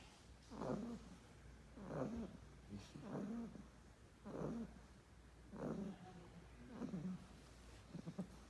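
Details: Sleeping English Bulldog puppy gives rhythmic snuffling snores, rough nasal pulses roughly every 1.3 seconds, seven in sequence, with a faint constant background drone.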